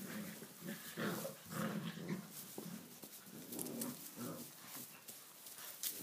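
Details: Tibetan Mastiff puppies, six weeks old, romping in a stable on their first visit there while the weather outside is wet; low rumbling growls and whimpers come in quick bursts, with rustling and scrabbling.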